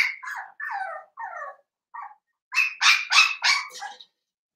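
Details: Blenheim Cavalier King Charles Spaniel puppy, seven weeks old, one of a New Year litter of five in a home pen: several drawn-out descending whines followed by four loud, bright, high yaps in quick succession.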